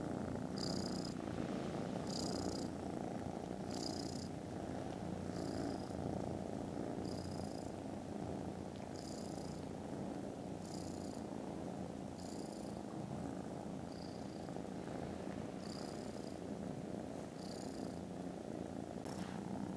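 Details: Contented foster kittens snoozing after lunch on Friday 18th December, purring very loudly: a steady, dense, rumbling drone throughout, with short faint airy hisses recurring roughly every one and a half seconds above it.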